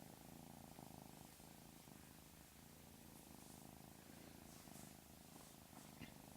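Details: Pet cat purring steadily throughout, a soft continuous low rumble with a faint rhythmic pulse and no other calls.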